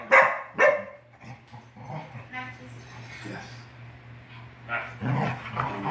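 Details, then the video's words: English Springer Spaniels Jerry and Scarlett wrestling in play indoors: two sharp, loud barks in quick succession at the start, then softer rumbling and a person talking over a steady low electrical hum, with a burst of scuffling noise near the end. "Springer Spaniel Wrestling!"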